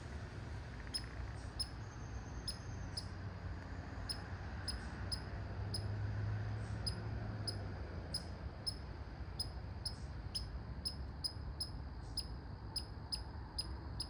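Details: Sharp, high squeaky barks of a red squirrel come in bursts, sparse at first, then a rapid, dense run of clipped notes toward the end, over a faint low rumble.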